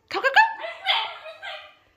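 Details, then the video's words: Female basenji Makena vocalising at home before a walk, with a person speaking Russian about going out: a quick stutter of clipped yelps melting into a warbling, wavering yodel that fades out. "Talkative basenji - compilation of Makena's vocalisations"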